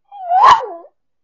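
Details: A miniature schnauzer at Christmas, singing along to afternoon music with a short, tuneful howl that swells upward and then slides down.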